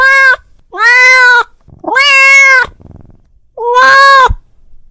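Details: Domestic cat calling his friend, giving four loud meows of varying length, the longer ones held around a second with a steady, slightly arching pitch, separated by quiet pauses.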